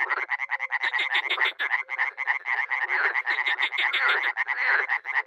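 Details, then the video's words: Spring pond chorus of dozens of frogs and toads in Miroslovesti, north-east Romania: an unbroken, crackling wall of quick nasal croaks from many callers at once, with occasional low mellow notes running through it. "Frogs and toads croaking"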